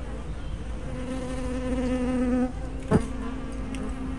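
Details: A single honey bee hovers near the hive entrance, its steady buzz swelling for over a second, then a sharp whoosh of another passing bee, all over the colony's low hum; recorded on a fisheye spy camera.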